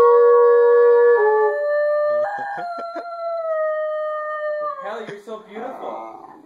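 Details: A Basenji howls along with a baritone horn's long, steady notes that shift from a lower pitch to a higher one; the dog especially likes the high B flat.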